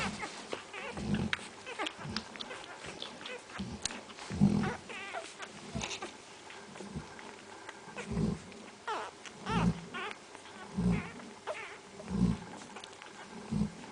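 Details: Several Central Asian Shepherd Dog puppies whimpering in thin, bending whines and brief squeaks, scattered through the clip, with repeated dull low thuds underneath.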